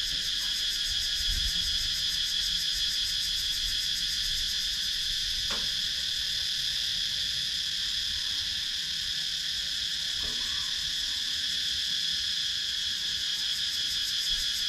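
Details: Countryside woodland cicadas in Sakon Nakhon, Thailand, filmed by GoPro Hero 9, produce an unbroken high, hissing buzz with rapid rhythmic pulsing throughout; a sharp tap sounds near the middle and a soft knock later.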